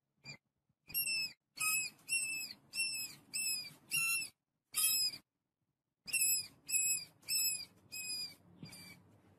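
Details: A family of rats eating wheat squeaks in high, thin bursts, each cry bending slightly and repeated in quick runs.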